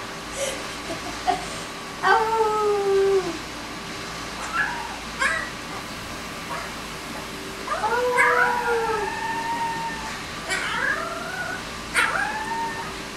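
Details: A 20-day-old female Alaskan Malamute/Siberian Husky puppy gives thin, wavering howls that slide downward while a boy howls along with her.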